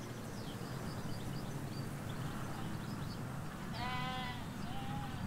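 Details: Sheep, ewes with their lambs in a field in the Hampshire countryside, give a single harmonic, slightly wavering bleat lasting under a second near the end, over a steady low rumble with faint distant birdsong.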